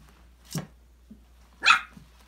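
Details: Five-week-old Australian Labradoodle puppies from a December 2020 litter playing and exploring in an indoor enrichment playground; two short sharp puppy yelps about a second apart, the second louder and higher, over a low steady hum.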